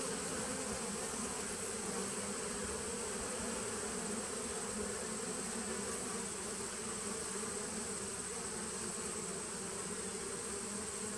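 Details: Colony hum from a 2017 honey bee nuc, taped on 19 September 2018: an even, continuous buzz, thick and low, with no pauses and a steady level across the whole stretch.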